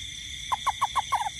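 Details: Toad calling at night during rain in a garden: a quick run of five short, mid-pitched notes, each sliding slightly downward, ending in a brief double note, over a steady high insect-like hum.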